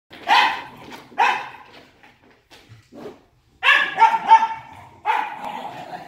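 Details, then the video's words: Wire Fox Terrier brothers play-fighting, barking in short bursts: two sharp barks near the start, a quiet gap with faint yips, then a noisy cluster of overlapping barks and growly yaps. "Pardon Our Barking"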